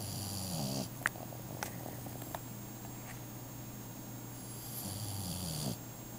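A Boston Terrier snores in long, low rumbling breaths with a raspy, airy hiss at each end.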